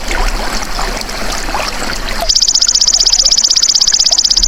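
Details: Golden grasshopper (belalang emas), used as a natural tutor sound for songbirds. After a stretch of trickling water, a loud, shrill, finely pulsed buzz switches on suddenly and continues steadily.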